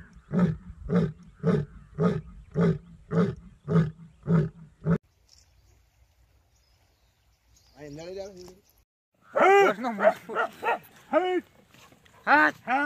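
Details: Asiatic lion in Gir National Park delivering nine short, deep grunting roars in a steady rhythm over five seconds, followed by a quiet gap and then human voices talking.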